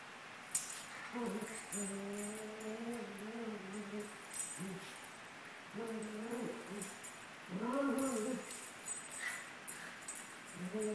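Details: Two 17-month-old Maltese dogs, Sunny and Moony, playing together: drawn-out harmonic whines and growl-like moans, each lasting one to two seconds, repeated with short pauses, plus faint jingling and rustling.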